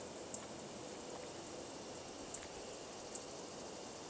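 A handsome meadow katydid sings a thin, steady, very high buzz broken by a few sharp ticks.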